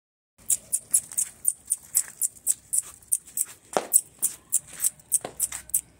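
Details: Shrill, piping whimpers from a Shih Tzu puppy come in a quick, steady series, roughly three each second, with a couple of slightly fuller yelps breaking the even rhythm midway.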